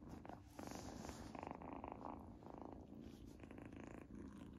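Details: Kitten Izzy, eating her first treat, gives a loud rumbling purr with a fast pulsing texture, mixed with crunchy chewing noises in the middle.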